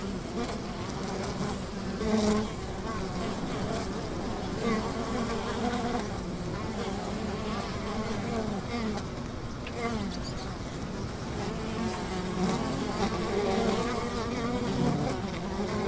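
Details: Honey bee hive beside a river, many bees humming together in a continuous low drone whose tones waver and drift, with brief louder passes of individual bees over a constant hissing background.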